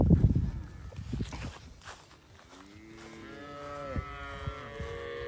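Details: Mother cows with calves in a field: low thumping noise at first, then a long, rising bellowing moo followed by further wavering, sustained moos fading out near the end.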